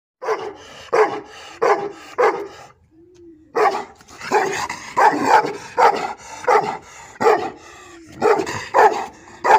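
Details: Gurbasar, an Azerbaijani shepherd dog, barking loudly in a series of deep, harsh barks at an uneven rhythm, about one every second, with a short pause near the three-second mark before the barking resumes.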